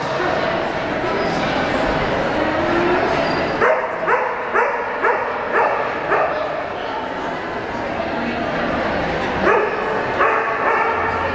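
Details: Cardigan Welsh Corgi on an open Jumpers agility course at a Portland trial in September 2007. A dense murmur of background noise comes first, then bursts of quick yapping barks roughly two per second.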